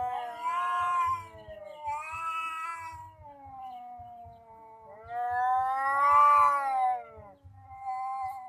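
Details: Two cats in a tense standoff. Long, rising and falling caterwauls come in waves, with quieter moaning between the louder, strained swells. Faint low thuds sound in the background.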